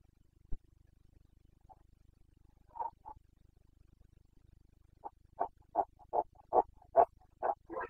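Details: Rutting Carpathian red deer stag, Bucovina mountains, Romania, 29 September 2022. A couple of isolated grunts, then a rapid run of about ten short, throaty barking grunts, roughly two or three per second and growing louder.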